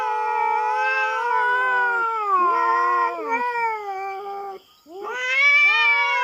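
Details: Philippine farm, a feral cat intruding on resident cats' ground and confronting a black cat: continuous loud, quavering howl with many overtones, pitch bending up and down, a dip in volume, then a sharply rising wail.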